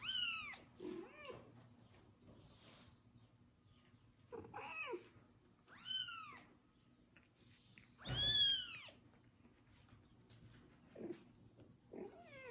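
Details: Kitten named Kubik, neglected by its own mother, meowing loudly after its first bath while a pregnant foster mother cat licks it indoors; high, arching, harmonic meows come in spaced bursts with quiet gaps between.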